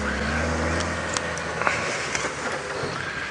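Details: A vehicle engine rumbles low and steady with a few soft clicks and knocks, and no animal calls are heard.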